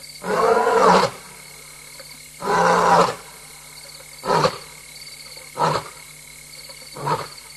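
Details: A lioness, a mother alone and restless, roars at Tembe Elephant Park at 3:15 AM on 26 August 2022: two long, full moans followed by a run of shorter grunts.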